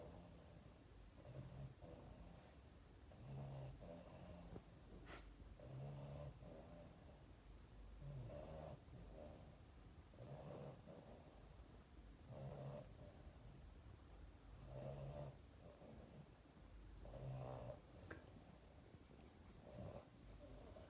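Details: A Boston Terrier cuddling with its owner at Christmas snores in low, rumbling breaths, each lasting about a second and repeating every two to three seconds.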